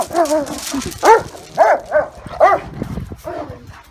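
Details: German Shepherd and Great Dane in a dog fight, with harsh rising-and-falling barks and growling yelps coming about every half second, loud and close.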